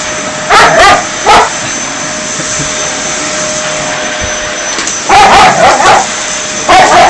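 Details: Dog barking in short bursts while a vacuum cleaner drones steadily, interfering with the vacuuming; a pair of barks near the start, then a cluster of several quick barks toward the end.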